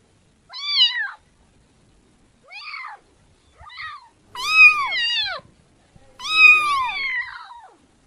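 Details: Kitten meowing indoors: five harmonic meows, each rising then falling, spaced one to two seconds apart, the last two longer and louder; otherwise quiet.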